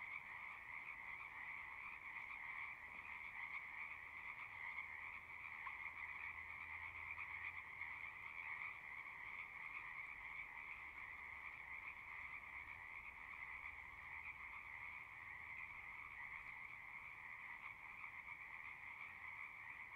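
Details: Frogs heard across a horse pasture from a distance, with a Zoom 6 recorder: a soft, steady trilling chorus in two pitch layers over a low rumbling background hum that swells briefly.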